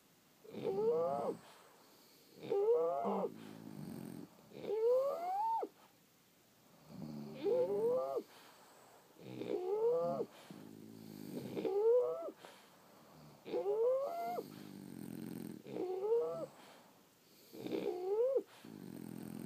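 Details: Sleeping French Bulldogs snoring, a steady breathing cycle roughly every two seconds: each breath a harmonic, whistling rise that climbs in pitch, then a low rattling exhale, nine cycles in a quiet room.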